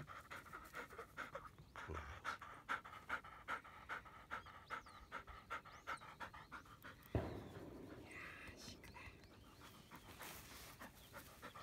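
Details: Labrador Retriever panting during morning frisbee training outdoors, quick rhythmic breaths about two to three per second, with a faint steady whistling tone, footsteps, and a sudden rustling thump near the seventh second.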